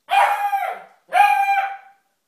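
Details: A puppy gives two long, drawn-out yelping barks, each lasting over half a second, tonal and slightly howl-like, with silence between them.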